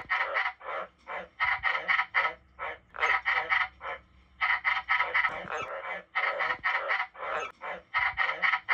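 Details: Captive white-lipped tree frog kept indoors among several frog species, calling in a rapid run of short, harsh, nasal barking notes. They come in clustered bursts of three to five, about four notes a second, with brief pauses between groups.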